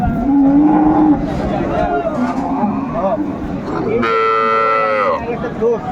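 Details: Improved-breed dairy cattle with a female calf at Ambari market in Dinajpur, 29 April 2024, during bargaining. A short low moo opens, then men talk, then a higher, strained bellow lasts about a second amid crowd noise.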